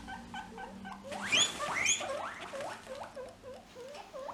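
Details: A guinea pig (Cavia porcellus) gives quick, repeated rising squeaks. This signals that it is interested in something and feeling confident. The sound can quickly escalate into the loud calling whistle.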